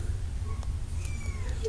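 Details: A cat with kittens. One thin, high, drawn-out mew rises slightly and then falls, partly masked by a loud, steady low hum throughout.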